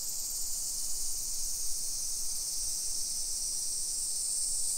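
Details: Cicadas singing on a summer afternoon, 1 PM on 28 July 2021, along suburban hillside streets in Nisshin, Aichi Prefecture, Japan. Their constant high-pitched buzzing hiss fills the air without pause, with faint low-frequency footsteps and outdoor background noise beneath.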